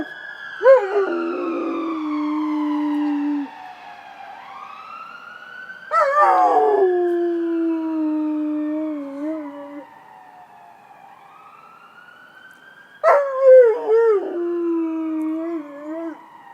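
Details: Rottweiler howling in response to passing ambulance sirens: three bouts of long, wavering howls, each starting with a sharp rise and then sliding lower, while the sirens sweep up and down over and behind them.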